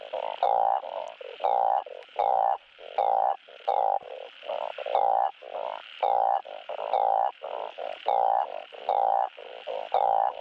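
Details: Chorus of truncate-snouted burrowing frogs calling for mates, used to encourage breeding: steady droning croaks, each roughly a second long, several frogs overlapping in an uneven, continuous rhythm.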